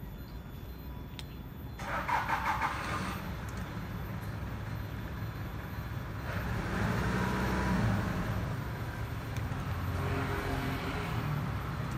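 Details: An engine starts and runs amid passing road traffic, a low rumbling drone with a louder surge partway through.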